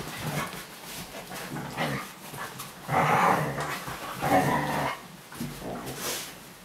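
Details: Laika the Siberian Husky makes a run of moaning, half-howled vocal phrases, two longer and louder ones around the middle, over a steady low background rumble.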